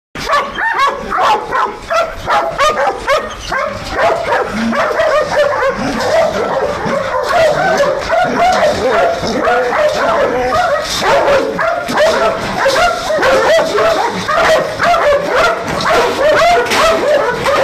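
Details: Belgian Malinois guard dogs, trained to guard a large industrial area at night near Nafplio, Greece, in a dense, agitated chorus of high whining yelps that rise and fall continuously, with a human voice faintly mixed in.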